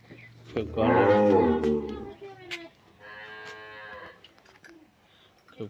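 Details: Calf, 14 days old, born through artificial insemination, gives a loud harmonic moo of about one second, followed by quieter drawn-out lowing and a man speaking in Bengali.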